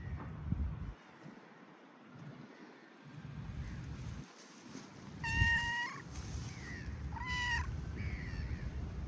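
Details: Feral street cats out in the rain: two clear harmonic meows around 5.5 and 7.5 seconds, each sliding down at the end, with softer mews between them and low rumbling background noise.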